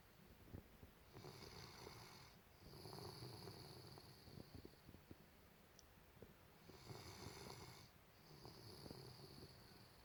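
A sleeping Golden Retriever snores in slow, raspy breaths with a faint whistling tone, each cycle about five seconds.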